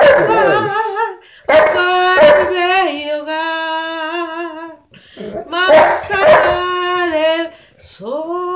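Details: Jehu, a Saint Bernard, howls along to a song: sliding yelps open into long steady wavering howls, pausing twice, with short rising yips and fresh howls after each gap.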